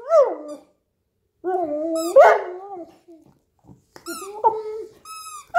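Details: Hugo, a Newfoundland dog playing with a squeaky toy while lying down on the couch, utters sliding whiny grumbles and moans, interspersed with several short, piercing squeaks of the toy.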